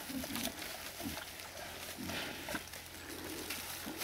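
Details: Wild boars in the Erős-oldal: short, low, rough grunts at irregular intervals, four or so in four seconds, over steady rustling and hissy background noise.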